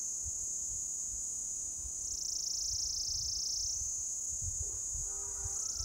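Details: Orange-coloured cicada calling from an old lichen-covered deodar tree trunk in a forest at Jabbarkhet, Uttarakhand, India; a loud continuous high buzzing drone whose pitch shifts up and down as the abdomen extends and retracts, with faint low rumbles beneath.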